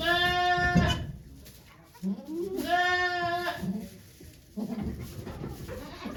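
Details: Goat on Yoshigake Farm on 3 May 2023, during Golden Week, as Okayu gives birth to twin kids while volunteers look on; two drawn-out, vibrating bleats about two seconds apart, with shuffling and low noise around them.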